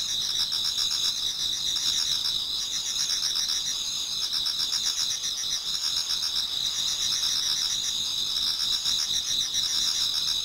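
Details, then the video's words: Insects of autumn singing in a Japanese garden as dawn approaches; several callers overlap in a bright sustained trill plus regular pulsed chirping, steady in loudness throughout. "Autumn Insects voice Towards dawn"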